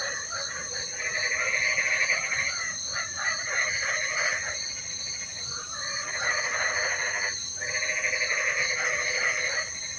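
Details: Chorus of frogs during rain, rapid rattling croaks rising in loud waves that surge and fade several times, layered over constant shrill humming tones and soft rain hiss.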